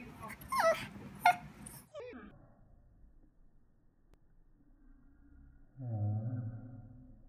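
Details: Female Pekingese dog barking, a few sharp yappy barks in the first two seconds, then quiet, then a lower drawn-out groaning sound near the end.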